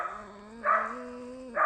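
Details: Female pet red fox making a steady, slightly rising nasal whine that is interrupted twice by short, harsh screechy bursts.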